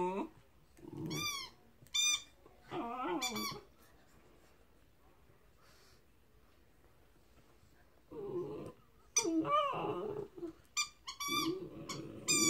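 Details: Chesapeake Bay Retriever puppy, 13 weeks old, giving short high whining yelps in scattered bursts separated by quiet pauses, some rising and falling, indoors.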